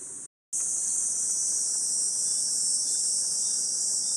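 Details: Loud, unbroken high-pitched cicada hiss in Hyakunen Park, Gifu Prefecture, Japan, on a hot 37°C July morning under dappled woodland light, cutting out briefly near the start and then continuing evenly.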